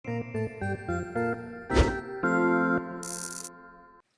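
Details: Upbeat keyboard music plays in short chords and sustained tones, broken by a brief noisy burst and a hiss near the end; no animal voice stands out.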